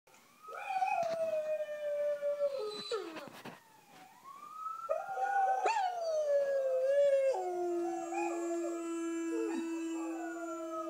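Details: German Shepherd Dog, a pet, howling in response to recorded dogs howling: long sustained tonal howls with sliding pitch, several drawn-out notes that rise, hold and drop, the last one a steady low tone.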